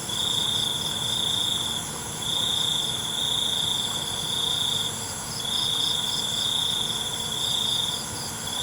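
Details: Cengkerik malam, a night cricket: piercing high trills in repeated bursts of roughly one to two seconds, pulsing evenly with brief silences between, over a continuous background of insect noise.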